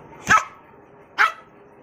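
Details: Wire Fox Terrier giving two short, sharp barks roughly one second apart, each a brief bright burst, against a quiet background.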